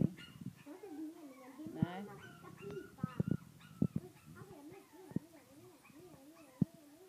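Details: Playful French bulldog puppies indoors whimper and whine in a steady, wavering, up-and-down tone, with scattered sharp yips and soft thumps from their scuffling, and quiet human speech in the room.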